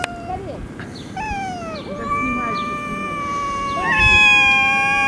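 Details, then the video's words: Stray cats squaring off in a Russian city: a wavering yowl dips and bends, then settles into a long steady moan that swells louder toward the end, over a low background hum. "fight cats, драка котов"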